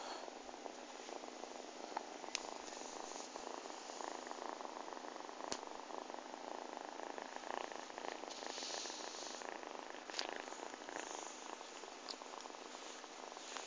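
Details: Domestic cat purring continuously as it settles onto a person and kneads with its claws, a soft, even rumbling hiss with faint rhythmic pulses throughout and occasional small clicks.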